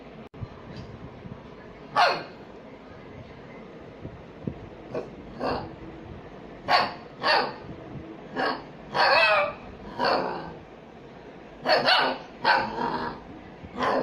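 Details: Small dogs playing and barking: sharp, bright barks come singly and in quick pairs at irregular intervals, some with a slight whine, over a low steady background hum.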